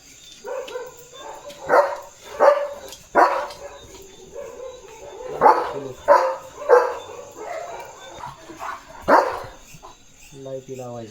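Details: German Shepherd named Leo roaming in his farm field, barking repeatedly in sharp broadband bursts, about ten barks spaced irregularly over eleven seconds, with a steady high electrical whine in the background.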